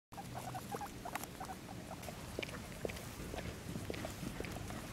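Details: Pet guinea pig Penélope, a female, on a play date with her friend Sharky, a pit bull, making rapid short squeaky chirps throughout, clustered and irregular, over a low indoor rumble with soft patter and rustling.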